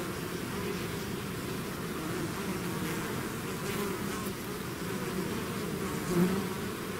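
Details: Swarming bees outside their hive make a continuous low, even hum; the layered drone holds steady, with one louder bee passing close near the end.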